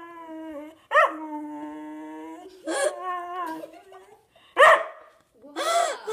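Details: Whippet, hungry and wanting food, giving long sustained whining howls with stacked harmonics, wavering and bending in pitch, broken by a few short yelping bursts between drawn-out tones.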